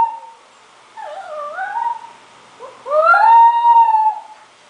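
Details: Scottish Terrier puppy under a year old, worked up while watching videos, gives drawn-out whining howls: a wavering tone near one second, then a longer, steady, strongly harmonic howl from about three to four and a half seconds.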